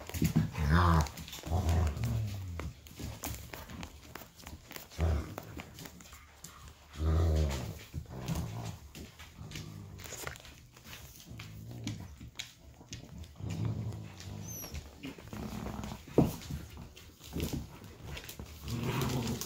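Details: Indoors on an evening, Golden retriever pups play on the floor with their parents and aunt; low rumbling growls and grunts rise and fall in irregular bouts, with faint human voices in the room.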